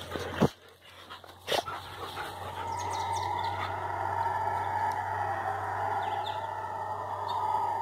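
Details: Howler monkeys calling in the forest, a haunting sound that seems to draw nearer; after a couple of sharp knocks, a sustained droning roar holds steady and swells slightly, with a faint insect-like hum underneath.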